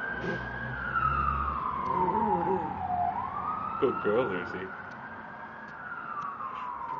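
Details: Chihuahua and toy fox terrier mix howling at fire trucks: a long wailing siren sweeps down and back up, while the dog's wavering, quavering howl rises and falls beneath it around the middle, with traffic rumble.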